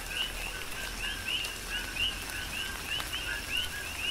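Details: During tropical rain on the Big Island, Hawaii, coqui frogs give clear two-part calls, a lower note followed by a rising chirp, repeated roughly every half second or so among several callers, with soft rain noise behind.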